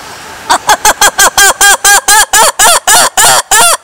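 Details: Loud lemur calls, a steady train of about fourteen harsh, nasal notes, each bowed in pitch. The notes grow longer and more sustained toward the end.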